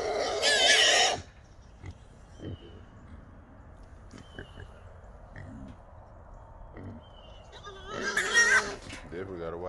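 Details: Wild hogs held in a small trap at night in Texas: a loud harsh squeal opens, then low grunts and rustling, and a second squealing burst near the end.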